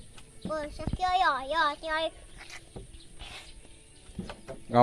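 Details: Sheep at feeding time with a child: a run of quavering, nasal bleats around the first two seconds, then quieter rustling and a short voice near the end.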